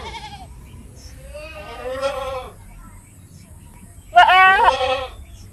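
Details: Two goat bleats over steady low background noise: a softer drawn-out cry first, then a louder, sharper wavering bleat near the end.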